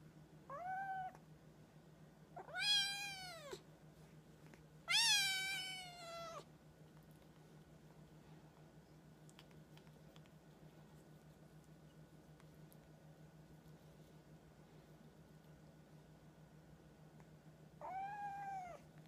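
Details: A female Siamese cat, greeting her owner on returning home, gives a few loud, drawn-out meows, each rising then falling, with pauses between, as if talking about her day.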